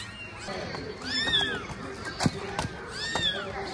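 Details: A kitten trained for 17 days, crawling along with its owner, gives two high, arching meows about two seconds apart over soft rustling background noise.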